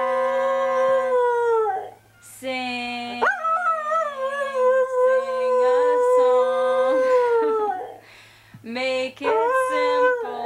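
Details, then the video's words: ['Several long, drawn-out howls from Merlin, an Australian Shepherd x Border Collie pet singing with its owner. The howls are separated by short pauses. Low sung human notes accompany them, and a final burst of shorter rising howls closes the duet.'] "Merlin and I sing a duet"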